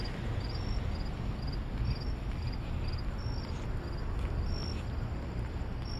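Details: Cricket calling on a nighttime walk to the store, giving brief high-pitched chirps, often in quick pairs, at a regular pace above a constant low hum of vehicles.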